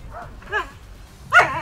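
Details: Akita Inu in a rehabilitation session for aggressive, biting behaviour, told to lie down; soft arched whimpers rise into a louder, sharper yelp near the end, with low room noise underneath.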